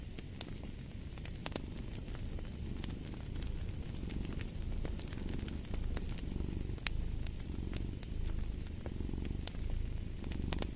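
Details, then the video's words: Domestic cat purring steadily, a deep low rumble swelling and easing in a slow rhythm of roughly one cycle per second, with sharp crackles and pops from a fireplace scattered throughout. "Fall asleep to the Purring of a Cat & Fireplace"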